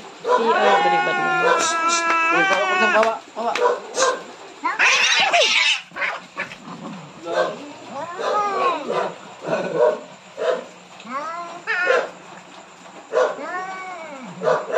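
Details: Two angry cats on the verge of a big fight being separated; a strong wavering yowl opens, followed by a harsh, noisy outburst, then shorter arched moaning cries amid people talking and clattering.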